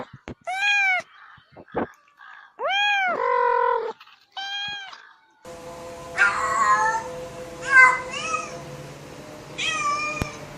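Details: Domestic cat meows in a short burst of clipped calls, then after a cut several higher meows over a steady background hum and rustle.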